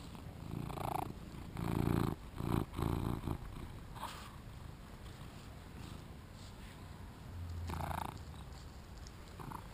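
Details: During play, a two-year-old British Shorthair tom called Shinobi gives a low purr broken by several short, louder bursts early on, then a brief call near the end, captured on a GoPro with rustling movement.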